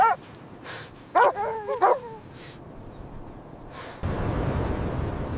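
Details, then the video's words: Puppies romping with their mother dog in fresh snow in winter; one bark opens, then a couple of short barks trailing into whiny, bending notes, followed by a steady rush of broadband noise. "Dog barking sounds"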